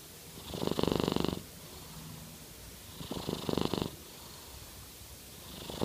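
A Norwegian Forest Cat purrs in slow, rasping bursts that sound like snoring, rising and falling with each breath.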